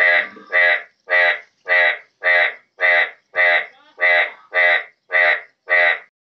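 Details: Pakistani yellow bullfrog giving evenly spaced, rasping, nasal croaks, about eleven in six seconds, each a short buzzy bleat with rich overtones, in otherwise quiet surroundings.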